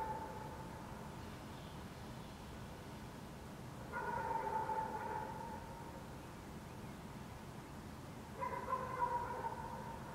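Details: Distant dog barks in Helsinki, Finland, on a June 2014 night beneath a waning gibbous Moon; a faint bark at the start, then two clearer harmonic barks around four and eight seconds, set against constant low city rumble.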